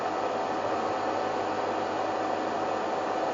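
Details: Only a steady broadband hiss like a fan or engine is heard, with no animal sounds.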